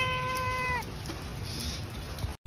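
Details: Cat found sheltering from the rain and picked up: a single drawn-out, steady meow lasting under a second, falling slightly at the end, then soft background hiss and a brief dropout.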